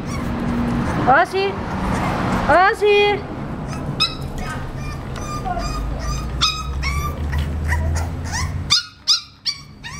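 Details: Male English Bulldog puppy, 35 days old, whimpering and yipping: high, rising-falling whines repeated rapidly and irregularly, some sharp short yips near the end, with people talking and low background hum.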